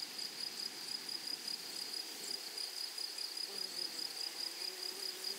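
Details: Grasshoppers singing in a flowering meadow: a bright, high-pitched trill broken into quick rhythmic pulses, roughly four or five per second, repeated without pause, over a soft low rustle.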